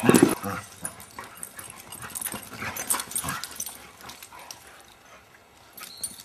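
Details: Abigail, a female foster beagle, indoors, gives a single sharp yip at the start, followed by quieter snuffling and shuffling sounds, with a brief human voice near the end.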